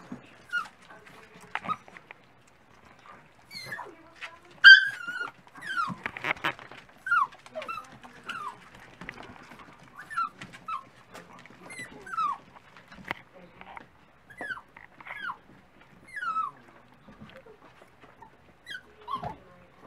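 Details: Dachshund pups whimpering at breakfast time: thin, falling squeals spaced a second or two apart over a quiet background, with occasional clicks and knocks.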